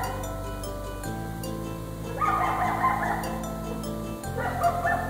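A coyote gives wavering, high yipping cries in two bursts over steady background music.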